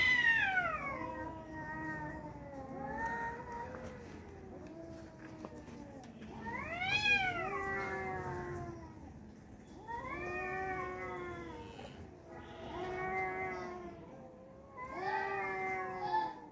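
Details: Fight between two tomcats with repeated yowling bouts. Wavering, nasal wails rise and sag, spaced a few seconds apart, including a sharp high-pitched arching cry near the middle.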